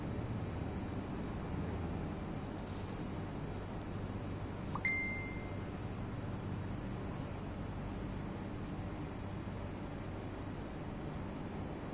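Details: Constant low rumbling noise with one brief bright ding near the middle, and no animal sounds.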